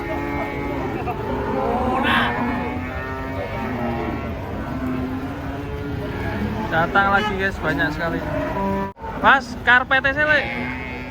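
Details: Drawn-out, level lowing from huge, aggressive cattle coming down off a truck, mixed with voices of handlers and some vehicle noise.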